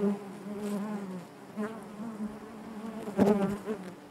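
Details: Steady hive drone from a honey bee colony, a low harmonic buzz wavering in pitch, then a brief loud burst late on as a bee comes close.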